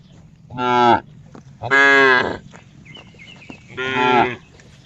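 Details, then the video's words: Funny-sounding cow calls: three loud, clear moos in under five seconds, the middle one longest and fullest, with a faint warbling tone between the last two. "cow funny sound"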